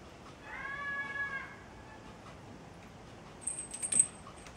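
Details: Domestic cat giving a single drawn-out meow lasting about a second, with clear stacked harmonics, followed by a pause and then light jingling metallic sounds like keys.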